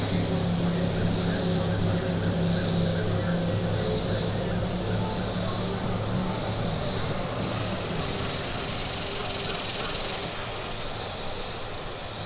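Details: Cicadas along a lakeshore in southern Missouri, at Table Rock Lake on a very warm day, their high buzzing pulsing in waves about every second and a half while boat engines drone and fade below.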